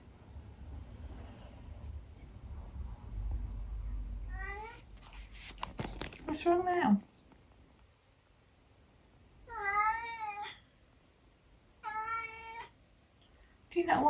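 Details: Eric, a very vocal 12-year-old tabby cat from the UK, complains indoors: several drawn-out harmonic meows, two clear ones near the end spaced about two seconds apart, mixed with a person talking to him and room rustling.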